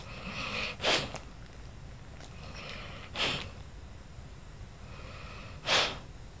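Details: Lula, an old pet dog, snoozes indoors on Christmas, giving soft raspy snoring breaths: a faint hissing inhale, then a sharp snorting exhale about every two and a half seconds, slightly uneven, in a quiet room.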